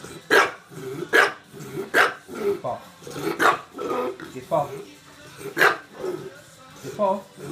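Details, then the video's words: Bulldog begging for marshmallows, giving repeated sharp barks roughly every second, interleaved with growly grumbling; a person's voice and some music sound in the background. "Gimme gimme gimme the marshmallows naughty tinkerbell the bulldog"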